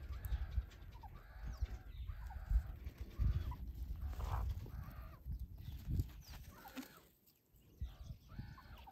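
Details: Meerkat youngsters at play, wrestling and chasing: repeated brief chirps and squeaks in groups, overlaid on loud low thumping and handling noise.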